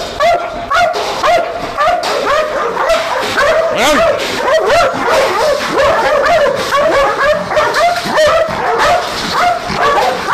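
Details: Several Belgian Malinois kept as night guard dogs at an industrial property in Nafplio, Greece, whine and yelp frantically, their pitched cries sweeping up and down in a crowded, uneven stream.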